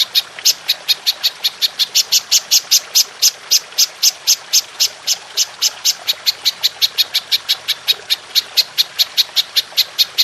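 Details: Golden grasshopper, used as a master sound for teaching songbirds: an unbroken run of bright, high-pitched ticking chirps, evenly spaced at roughly four per second, against a quiet background.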